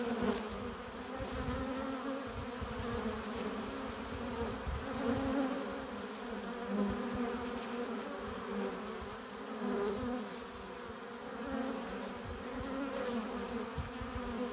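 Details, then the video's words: Honey bees crowding a hive entrance as they arrive with nectar and pollen, giving a constant, even buzz punctuated by faint wingbeat flutters and slight swells every few seconds. "15 minutes of bee hive entrance! Relaxing sounds! Buzzing sound efects"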